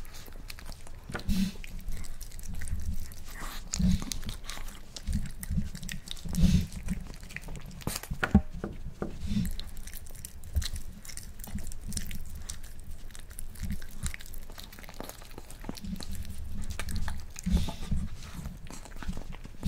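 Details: A male Miniature Pinscher, born 2012, eats a boiled egg for the first time, chewing noisily with soft wet smacks and sharp crunchy clicks at an uneven pace.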